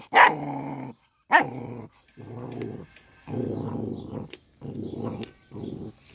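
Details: A little dog growling while eating fish; low, rough rumbling growls in bursts of about a second, separated by short pauses, with two sharper, higher yelping onsets at the start.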